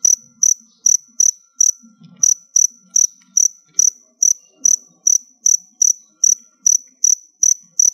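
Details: Crickets stored by a keeper during their molting period give a steady train of shrill, high chirps, around nineteen in eight seconds, with a brief faint murmur underneath near the middle.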